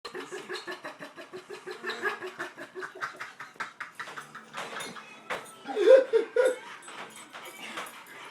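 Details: Pet dog whining in a way that sounds like laughing: a run of short, evenly spaced, tonal pulses, about three a second, then a louder, sharper burst of whines near the end.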